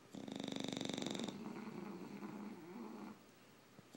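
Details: Two tired English bulldogs sleeping indoors; a rapid, rhythmic snore of about four pulses per second, buzzy and purr-like with a steady hum, fading to quieter breathing after the first second and a half.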